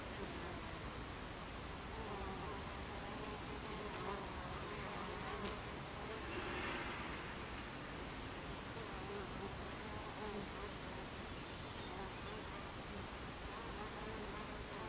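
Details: At a hive entrance of Buckfast bees, 26 July 2013, 14:30, the colony's buzz is a constant, dense drone. Faint, shifting tones of bees flying in and out sit within it, with a brief swell of louder buzzing midway.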